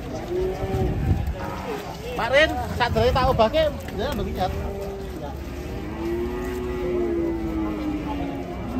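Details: One of three very large cattle being unloaded from a truck gives a long, low, steady moo in the second half, after loud men's voices and shouting.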